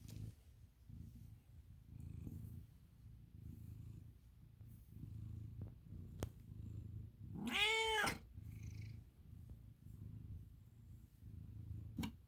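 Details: Low, rapid pulsing purr from Milo, a pet American Ringtail cat, runs continuously, interrupted midway by a single bright, wavering meow before the rumble resumes.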